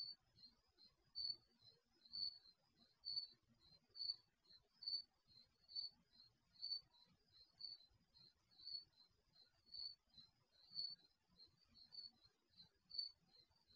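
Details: Garage security camera microphone records crickets during the night; bright, high chirps pulse about every second, interleaved with quieter answering chirps, over a soft low rumble.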